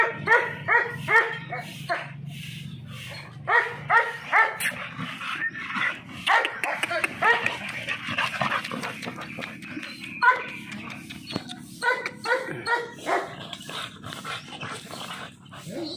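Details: American Bully dog giving quick runs of ringing, yelping barks, clustered at the start and again near the end, with a noisier, muddled stretch between the bursts.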